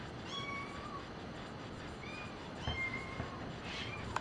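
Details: Brown patched tabby and white cat playing with a cat teaser indoors, giving soft, thin, high meows: a drawn-out tone near the start, shorter chirped calls later, with faint rustling.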